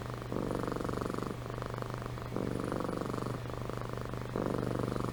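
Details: Purring and snoring from Amy, a sleeping house cat, in rhythmic rumbling phases roughly every second, inhale and exhale cycles clearly alternating under a constant low hum.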